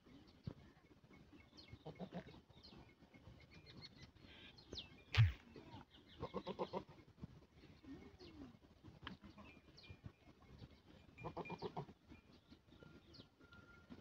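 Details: Sheep resting in a field after grazing; several short bleats, each a few ribbed harmonic bursts, come in small bursts spread across the recording, with one loud knock midway and faint steady background hum.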